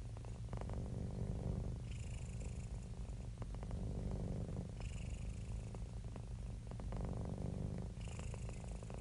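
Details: Domestic cat purring while happy and relaxed: continuous low thrumming, breath-driven swells about every three seconds, with a faint airy hiss accompanying each inhalation.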